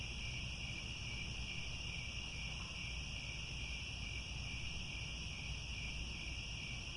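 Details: Crickets chirping at sunset in grasslands near Angkor Wat, Cambodia: a dense, unbroken high-pitched chorus in several steady bands over a constant low rumble.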